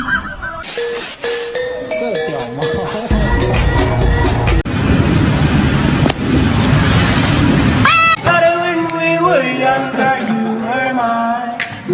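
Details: Music with voices and a loud burst of noise, with no animal calls. The voices and a rush of noise sit over the music throughout.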